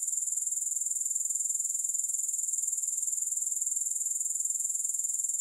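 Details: Soothing grasshopper sounds without music: an unbroken, high-pitched shimmering trill with steady rapid pulsing, holding the same level throughout.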